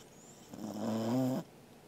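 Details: Single snore from Angela, a Corgi dog asleep indoors, filmed 13 August 2021: one steady, nasal droning breath of about a second that swells gently and cuts off abruptly, over a faint background hiss.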